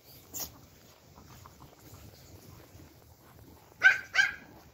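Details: A pack of Pomeranian puppies and dogs spoiled with treats; one faint bark at the start, then a long near-silent pause before two loud, sharp, high yaps in rapid succession.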